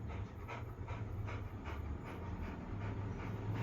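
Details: Labrador Retriever panting in quick, regular breathy bursts about every half second, with a steady low hum running beneath throughout.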